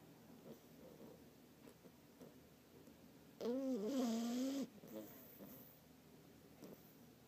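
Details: A sleeping French bulldog puppy about two months old lets out a single whiny, tonal snore lasting just over a second, its pitch wobbling then holding steady, with soft breathing before and after.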